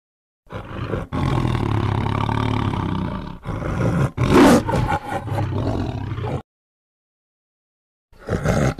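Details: Tiger producing a long, sustained rumbling roar broken by short catches, rising to a harsh peak near the middle, then silence and a final brief roar.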